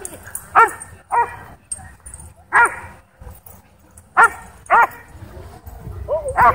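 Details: Dog park dogs excited by a DJI Mavic 2 drone overhead, giving loud clipped barks, single and in pairs, at irregular gaps, over a faint high whine and low background rumble.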